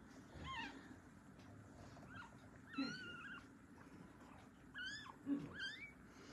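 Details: Newborn domestic kittens, born on Christmas Day, 25 December 2023, as the mother cat washes the little black kitten. Thin, high, rising mews come in about four separate bursts over several seconds against a low steady hum.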